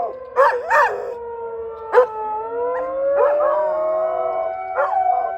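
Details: Brody the dog howling and barking at a tornado siren; two quick barks open, then a sustained, slowly rising howl with a few yips, the siren's smooth tone gliding along beneath.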